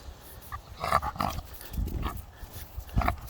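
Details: Rock, a pet American Pit Bull Terrier whose voice a passerby took for a pig's, makes a few short, husky snorting grunts separated by brief pauses, low and throaty, over quiet outdoor background.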